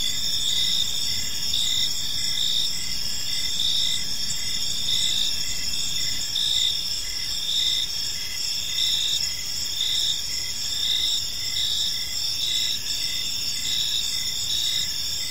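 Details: Crickets fill an evening park with an unbroken high-pitched ringing chorus, layered trills and rhythmic pulsing chirps repeating about once a second, low faint background noise throughout.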